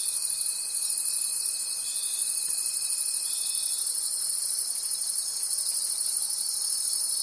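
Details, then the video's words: Many crickets in a forest at night produce a ceaseless high, buzzy trill that swells and fades about three times a second; a faint steady tone fades out before the halfway point. "Forest Sounds and Cricket Conversations at Night"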